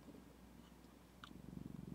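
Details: Indoor female pet cat Zephy with her owner, purring; a quiet low rumble that swells in the final half-second into distinct rhythmic pulses, with a faint click before it.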